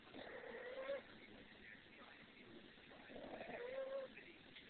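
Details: A pet cat gives two meows, each a nasal, slightly rising tone lasting under a second, about three seconds apart, over a quiet, hissy background.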